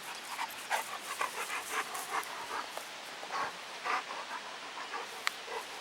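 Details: Dogo Canario dog playing with children, panting in quick breathy puffs roughly every half second, steady throughout, with faint background noise.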